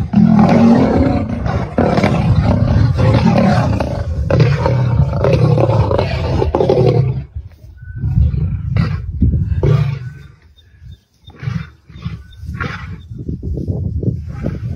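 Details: Dark-maned male lions clash for dominance at Kareiga, South Africa, 6 October 2024: about seven seconds of loud, continuous, throaty roaring and snarling, then quieter broken growls, short pauses and scattered scuffling clicks.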